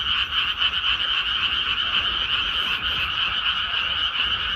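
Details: Large frog chorus in a paddy field after rice planting: fast pulsing croaks, roughly four per second, merge into a continuous ringing drone with slight swells in loudness.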